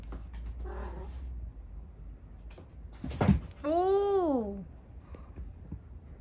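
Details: Domestic cat indoors on a stormy night while the cats play and fight; after soft rustling and a sharp knock, one clear drawn-out meow rises then falls over about a second, with faint room noise around it.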